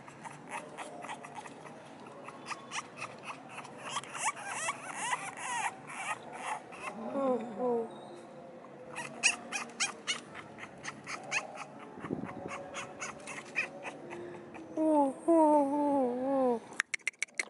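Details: A 2-month-old French Bulldog puppy lets out thin, wobbling whines and squeaks that rise and fall in short bursts, over rapid clicking taps and a few faint background voices.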